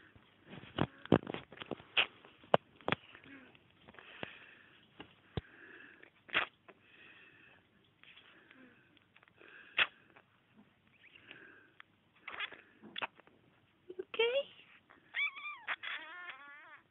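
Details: A kitten, one of Ginny the cat's babies, sneezes over and over indoors. Sharp, explosive bursts come irregularly, some close together, with soft sniffly breaths between. Near the end, a wavering, voice-like call rises and falls.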